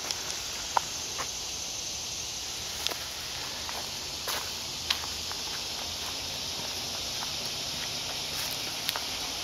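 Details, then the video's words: Cicadas singing in woods during a walk with Lulu: a steady, dense high-pitched hiss drones without pause throughout, with footsteps and leaf rustling crackling over it. "Walking Through the Woods with Lulu Listening to the Cicadas"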